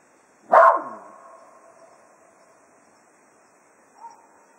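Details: Cato, a Jack Russell Terrier at Quail Roost, bidding the foxhounds farewell at the end of a day of foxhunting: one sharp, loud bark trailing into a fading tone, then a faint short sound near the end.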